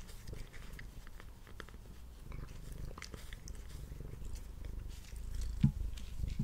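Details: Pet cat purring through his meal indoors, recorded on a Blue Yeti microphone: a rumbling low purr that grows louder toward the end, mixed with light clicking bites and chewing.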